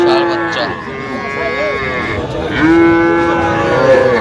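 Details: Small Sahiwal bull and heifer calves at a Madaripur cattle market in Bangladesh, 13 January: a short steady moo, then after a pause a longer, slightly rising moo. People talk and bargain in the background.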